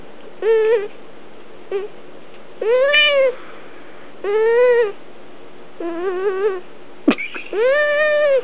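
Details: Female domestic cat whining while being held indoors; drawn-out, nasal, arched whines of about a second each, separated by short silences, with one brief sharp click near the end.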